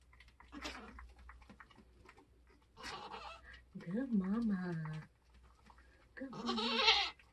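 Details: Nigerian Dwarf goats kidding on a homestead during kidding season; a wavering, quavering bleat in the middle, then a shorter strained cry near the end, with human voices and soft rustling between.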